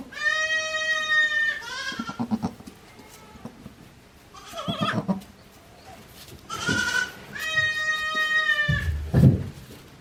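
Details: Day-old goat kids, Hikari's young, at Yoshigake goat farm in Japan, filmed on 17 April 2024. Two long, high, quavering bleats open and close the recording. Shorter, rougher bleats and rustling fill the gap between them.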